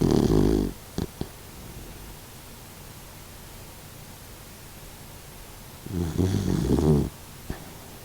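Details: Sixteen-year-old Doxiepoo, an elderly dog fighting stomach cancer, snoring while asleep indoors; two rough, buzzing snore bursts about six seconds apart, each roughly a second long, with quiet breathing between.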